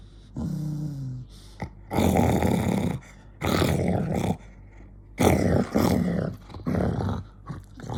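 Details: Angry pet dog giving loud, rough snarling growls in long harsh bursts of about one second, with short quiet gaps between them, and a brief lower tonal whine near the start.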